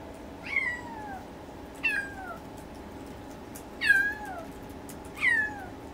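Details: Siberian kitten on its second day in a new home, crying indoors as if searching for its mother: four high, thin meows, each sliding downward, spaced one to two seconds apart over a steady low household hum.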